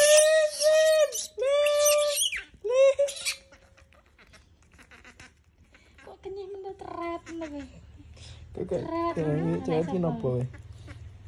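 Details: Monkey disturbed until it screams: shrill, drawn-out squealing screams in the opening seconds, each level then dropping, followed by quieter wavering cries later, with background music and indoor noise.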